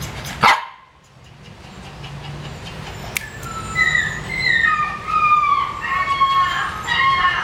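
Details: Female Rottweiler in Gia Lai: a single sharp, loud bark near the start, then a quiet gap before a run of high, wavering whines and yelps that rise and fall through the rest.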